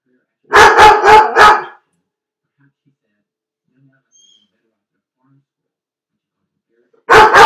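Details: Four quick, harsh barks from Felix, a dog shut alone in a dog crate, are followed by several seconds of silence before another burst of barking begins.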